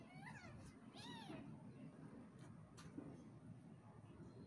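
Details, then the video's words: Domestic kitten play-fighting with its mother, giving two short rising-falling meows in the first second and a half, then quieter scuffling over steady low background hum and a couple of faint clicks. "Kitten fighting with Mom"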